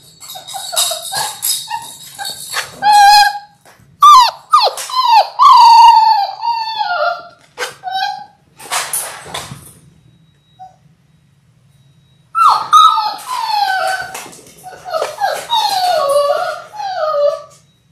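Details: Six-week-old Labrador Retriever puppies from a litter of six born January 18, 2022, indoors on a live puppy cam on February 28: loud bursts of high, wavering whines and short yelps, a brief quiet gap, then more overlapping whimpers.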